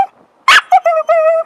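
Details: Dog at a dog park, urged by its owner to speak: one sharp broadband bark, then three drawn-out, even-pitched vocal notes with clear harmonics, each under half a second, after short gaps.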